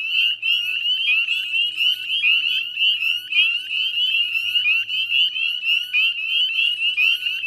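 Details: Dense chorus of northern spring peepers at dusk on 18 May 2020 beside the Chezzetcook salt marsh, West Chezzetcook, Nova Scotia, Canada: countless high, rising peeps overlapping into a continuous shrill ringing, with a faint low hum beneath.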